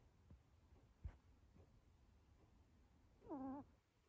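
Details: Luna, a sleeping British Shorthair kitten, makes one soft, squeaky, wavering nasal tone near the end while snoring or breathing in sleep, after a faint click, in a quiet indoor room with low background hum.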